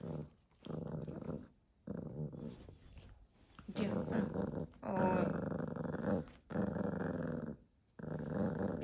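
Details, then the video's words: Pomeranian dog growling indoors, a run of low throaty growls in bursts of about one second with short pauses between, rising in intensity midway; a person's voice speaks faintly alongside. "Pomeranian dog"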